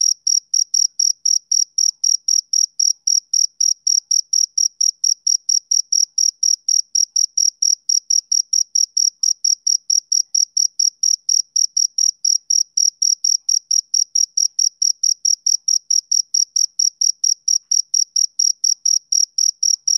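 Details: On a summer evening a male cricket keeps up a continuous train of short, shrill chirps, closely spaced at around four per second and unchanging in pitch, with nothing else audible.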